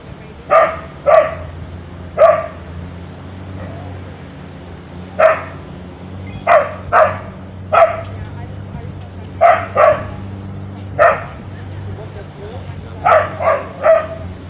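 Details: Barking at a monkey up a tree branch, a street dog on a Thai beach gives sharp, mid-pitched barks in singles and quick pairs, roughly fourteen in all, against a low constant rumble.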